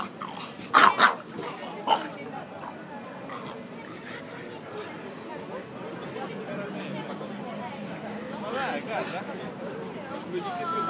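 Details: A small female French Bulldog barks a few sharp, loud barks at another large dog while people talk quietly in the background; she reportedly can't stand the noise of buses and trucks.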